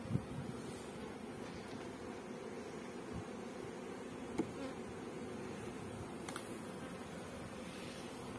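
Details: A dense, continuous buzzing hum rises from a mass of honey bees kept for beekeeping in Pakistan. The drone is low and grainy, with a few faint clicks and taps scattered through it.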